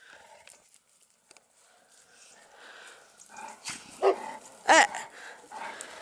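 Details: Dogue de Bordeaux at an amateur breeding kennel, Les Dogues de Plaine. Quiet rustling gives way to two loud, sharp barks a little over half a second apart, with fainter yelps around them and a person's voice nearby.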